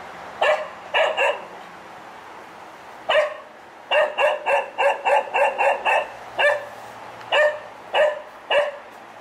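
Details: One-year-old male spaniel Bailey barks mindlessly in the garden at nothing in particular, a habit of three or four months that troubles neighbours; sharp single and double barks come in quick uneven bursts, roughly two per second, with short pauses.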